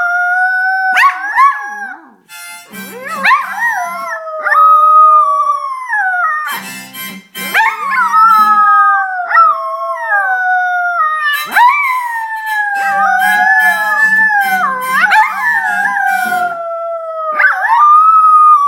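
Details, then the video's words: Two poodles, Lily and Carson, howl along to music: long wavering glides that rise and fall in overlapping voices, set against steady reedy chords and short breathy bursts, almost continuous throughout. "Singing Poodles"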